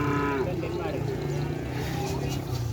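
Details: Small cattle at a crowded gathering event, a low lowing moo with stacked harmonics at the very start, fading into murmuring crowd talk and background engine noise.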